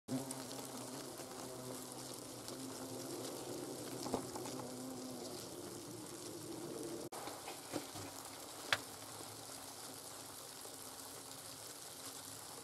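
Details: Hornets at their nest in autumn, as young queens and drones hatch and larvae are removed from the comb; a low, steady droning hum with layered tones throughout, a sharp break near the middle, then the buzzing resumes more faintly with occasional clicks.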